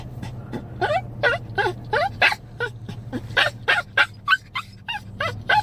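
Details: A 7-year-old Chihuahua cries like a puppy for his dog mom, giving fast, uneven yelps with bending pitch, about three per second, a faint hum in the background.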